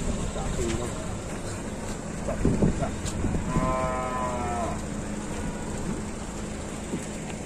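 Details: Cattle being loaded onto a truck for Qurban in 2022 in Indonesia give one drawn-out, harmonic moo of about a second, partly buried under steady engine rumble and handling noise.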